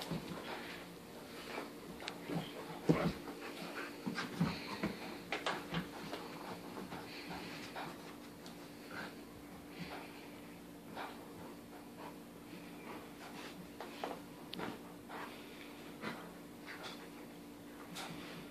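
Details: Indoors, a 14-month-old English Cream Golden Retriever humps and tosses a toy elephant about, panting in quick irregular breathy puffs with occasional snorts and soft whimpers, several louder bursts early on, against a constant low electrical hum.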